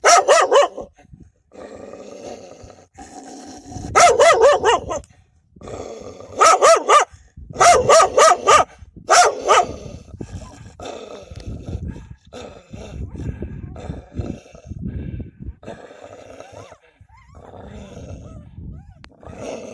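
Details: Several wild dogs fiercely defending their pups, giving loud, harsh barks in short volleys of three to four. Sharp bursts come near the start and again from mid-clip, with quieter growling and rustling in the gaps.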